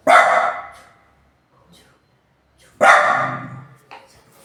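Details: Loud barking from a pet dog: two harsh, forceful barks about three seconds apart, each decaying quickly, followed by a softer short yelp-like sound.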